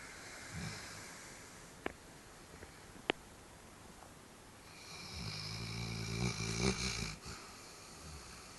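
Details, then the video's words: A sleeping dog snoring indoors: after quiet breathing and a couple of sharp clicks, a low, rumbling, harmonic snore swells from about five seconds and rattles on for roughly two seconds before fading. "Snoring Dog"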